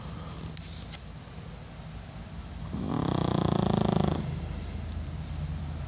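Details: Napping Pekingese dog snoring: a single rough, rasping snore swells over about a second, then fades into a quiet room with a steady low hum.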